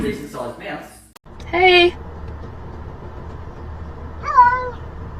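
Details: Pet cat giving two meows: a steady, bright cry a little after one second, then a louder rising-and-falling meow near four seconds, with brief talking at the start over a low background hum.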